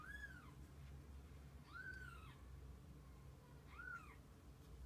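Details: Kittens and mother cat spending the day together; three short, arched meows spaced about two seconds apart, each rising then dropping, heard against a low indoor hum.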